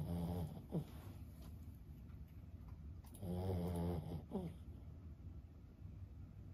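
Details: Sleeping 15-year-old Boston Terrier named Lulu gives two low, rattling snore bursts, each finishing in a brief nasal whistle, with quiet breathing in between.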